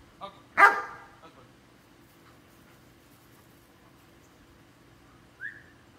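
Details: Belgian Malinois named Capitán giving one loud, harsh bark near the start, followed by quiet and a short, high whine-like note at the end.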